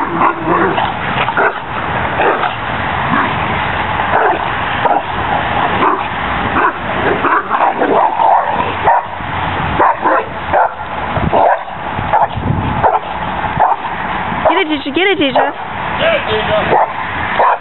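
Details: Cane Corso dogs at play on a spring pole, giving dense, rough, continuous barks and growling bursts with little pause, loud and close throughout.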